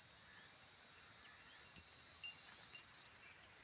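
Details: Brief stretch of constant high-pitched insect droning, smooth and continuous, with a few faint short notes below, fading somewhat in the final half second.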